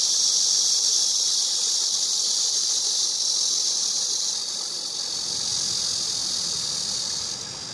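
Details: Cicada recorded singing: a steady, high-pitched hissing buzz held without a break, easing slightly in loudness after about four and a half seconds, then continuing evenly to the end.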